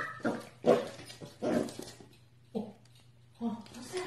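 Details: Dog in a small indoor room giving a handful of short, mid-pitched barks at uneven intervals. A person's voice mixes in, and a low electrical hum runs throughout.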